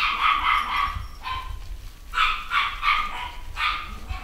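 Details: Litter of Cavachon (Cavalier x Bichon) puppies, little boys and girls, at a UK breeder, yapping in high, bright bursts: several quick clustered yips, then short pauses, recurring four times across roughly four seconds, with a faint low room rumble underneath.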